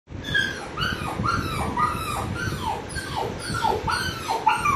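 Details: Puppy crying while a dog named Apollo reacts: high, arched whimpers rising and falling, repeated about twice a second over steady low rumbling background noise.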